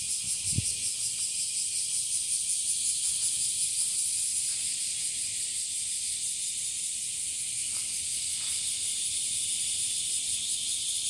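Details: Bear cicadas, known as washiwashi and increasing in numbers, heard as a steady high shrill hiss with weak pulsing, a single low thump near the start, otherwise continuous insect din.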